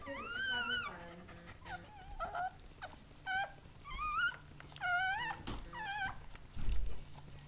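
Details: Goldendoodle mother Sandy delivering seven puppies, cared for by breeders: a string of piercing, wavering squeals, some long and some clipped, repeats every second or so, with brief low thuds and soft voices in the room.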